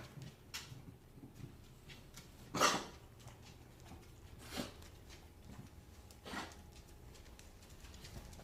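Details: Sick English bulldog puppy coughing indoors: three short, harsh, broadband bursts about two seconds apart, the first the loudest, with quiet room noise between them.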